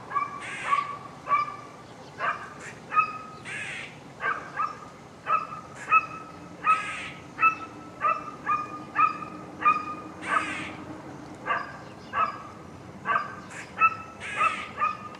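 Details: An eastern gray squirrel up on a powerline gives sharp, repeated barks, trading calls back and forth with a barking dog.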